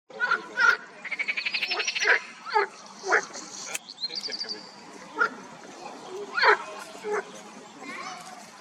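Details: Marsh frogs in a spring pond: a rapid rattling run of pulsed croaks near the start, followed by scattered short, harsh croak bursts from several callers, with faint high chirps above.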